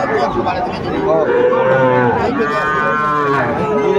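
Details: Sahiwal cattle, bull calves on sale at a busy market in Sylhet, late June 2024; several overlapping moos swell and fade, one long call bending down and another rising then falling, with crowd chatter underneath.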